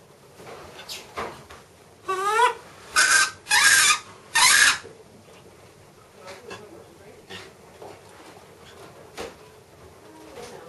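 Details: Miss Anna, a macaque at Bear Creek Sanctuary, excited while watching her breakfast being prepared: one wavering, harmonic rising-and-falling call, then three loud harsh bursts in quick succession, followed by quieter room noises.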